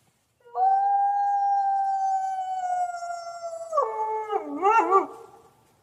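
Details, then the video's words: ['Coyote giving a long, level howl held for about three seconds, then breaking into quavering, bending yodel-like notes before fading out.'] "Coyote Sounds!"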